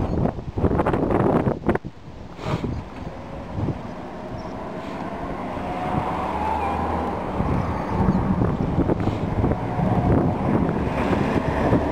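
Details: Gusty wind buffeting and low traffic rumble, with loud bursts early on settling into a steady roar, and no animal voice.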